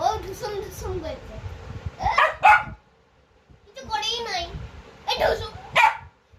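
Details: Angry barking from Poo, a pet dog: two quick barks in a pair, a pause filled with a person's talking, then another close pair of sharp barks near the end, with voices throughout.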